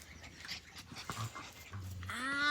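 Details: Australian Cattle Dog puppies, Blue Heelers, playing: short low rumbling growls, then a rising, drawn-out whine that swells louder at the end.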